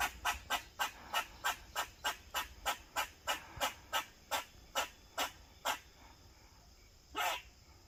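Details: An Eastern gray squirrel barking in protective behaviour gives a run of short, harsh barks, about three each second, then one longer rasp.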